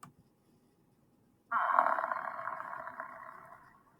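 An African buffalo gives a single drawn-out, hoarse bawl that starts abruptly and slowly fades.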